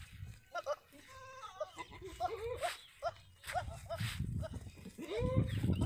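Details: Several Sirohi goats, males and females kept on a farm in Ajmer, Rajasthan, bleat over one another in short quavering cries, some rising, some falling, mixed with people talking and low background rumble.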